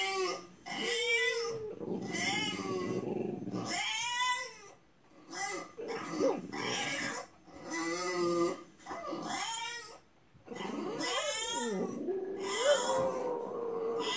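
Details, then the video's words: French Bulldog crying indoors while watching a crying bulldog on TV, apparently in sympathy; a series of high, wavering whines with rising and falling harmonics, coming in bursts about a second long with brief pauses between. "Французский бульдог Ася плачет с телевизором. Сочувствует бульдогу"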